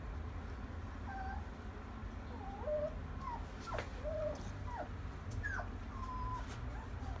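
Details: At a pet shop, a brindle female French Bulldog born 21 August 2017 gives scattered thin, high whimpers, some rising and some falling or flat, every second or so, with a constant low mechanical hum underneath.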